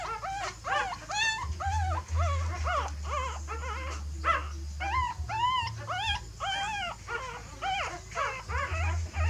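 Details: Whimpering puppies as a mother dog relocates her litter to another nest; about two squeaky, arched whines per second, uneven and overlapping, over a constant low droning hum.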